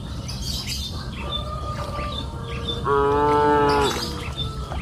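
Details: Cows in a hillside pasture during the afternoon; a single steady, held moo near the end, preceded by quiet rural ambience with chirping birds.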